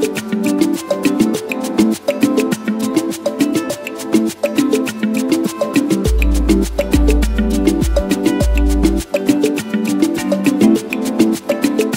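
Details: Upbeat salsa music with steady percussion and maracas fills the whole stretch, with no animal sounds audible.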